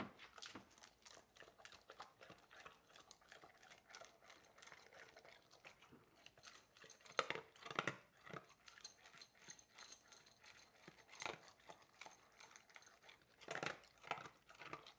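A Labrador Retriever eats noisily, with crunching bites and wet chewing at an uneven pace.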